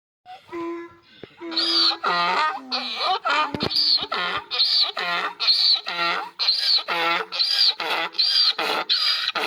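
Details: Donkey during mating, braying in a long run of rhythmic, harsh harmonic pulses, each lasting roughly half a second, alternating in a steady see-saw pattern for about eight seconds, with a few short rising notes before the braying starts.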